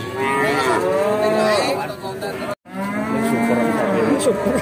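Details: Cattle mooing at the Bekonang animal market, Sukoharjo, Indonesia, with a Pegon-cross calf present: two long, wavering moos separated by a brief silent gap, with busy market noise behind.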